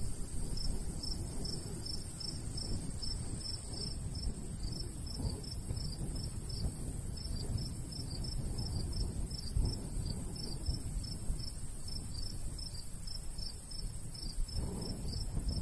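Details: ['High, closely spaced cricket chirps pulse steadily through a summer countryside scene with a golden wheat field, while breeze rumbles low beneath and briefly eases near the end.']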